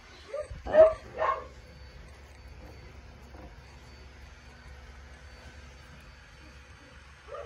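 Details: Two quick high barks from a dog in close succession early on, then a long quiet stretch with faint room noise and one more soft yap at the very end.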